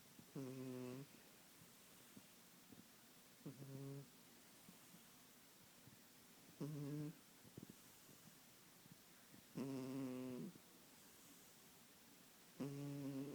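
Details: Kitten snoring while asleep, short nasal snores recurring about every three seconds with quiet breathing between them, in a calm, quiet setting.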